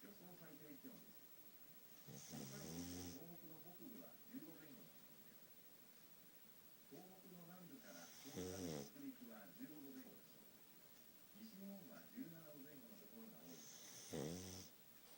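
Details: Futa, a pet pug said to snore heavily for lack of a nose, sleeping indoors: three loud, rasping snores about six seconds apart, with softer wavering nasal wheezes and snuffles between them.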